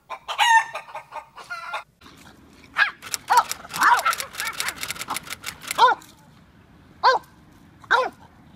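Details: A French Bulldog, learning to bark so big dogs won't bully it, tries out its voice with short, high, harmonic yelps and rough, strained barks, some arching up and down in pitch into a crowing, yodel-like sound rather than a clean bark.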